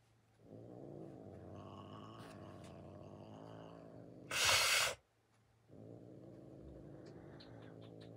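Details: Kali, a female domestic cat, hissing at her owner: a steady low rumble runs through most of the recording, broken by one loud, harsh, airy hiss lasting under a second, then a short silence before the rumble resumes.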